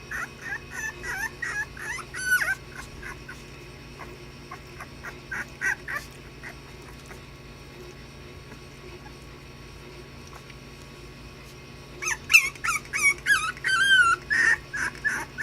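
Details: Puppies at play give bursts of high, wavering whimpers and squeaky yips, clustered in the first three seconds and again near the end, with a quiet stretch between and a steady low electrical hum underneath.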